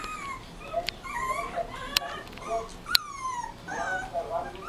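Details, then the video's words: Rottweiler puppy giving thin, drawn-out whines that slide downward in pitch, broken by brief yelps. A few sharp clicks cut through, with a low background murmur. "Rottweiler Filhote"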